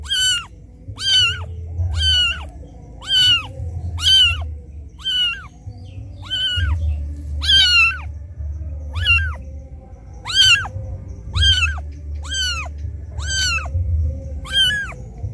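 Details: Abandoned kitten calling for its mother: a long run of shrill, bent mewing cries, roughly one per second and fairly even, with a low background hum between them.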